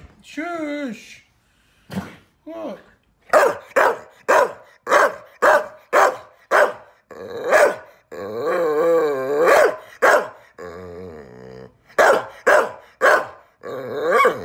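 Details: Lizzie, a female Staffordshire Bull Terrier x Rhodesian Ridgeback, telling off her laughing owner: a rapid run of short sharp barks mixed with wavering grumbling vocalisations and a brief whine, indoors, with some human speech.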